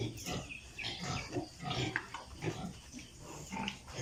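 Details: Several piglets on a pig farm in Italy grunt and squeal in quick bursts, short rough calls following each other about twice a second, some rising into thin squeaks.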